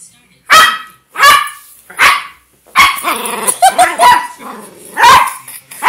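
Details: A dog barks in a fast series, three clear single barks followed by a run of quicker, overlapping yaps and a growly, wavering stretch, then more barks to the end.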